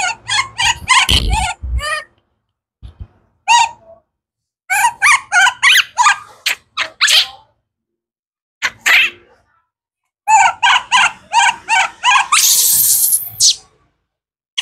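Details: Baby wild monkey Kaka, hungry for fruit, gives rapid clusters of short, piercing, tonal cries separated by brief silences, ending in a longer, harsher rasping scream.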